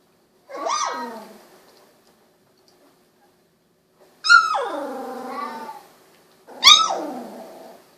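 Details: Three loud, falling whine-squeals from Golden Retriever puppies aged sixteen days, eyes newly opened; each starts high and slides downward, the second long and wavering, with quiet pauses between.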